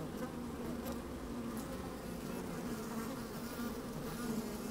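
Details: Honey bees busy in an opened hive, recorded with a microphone lowered into it on a sunny day: an even, low, thick drone with rustling texture and faint wind.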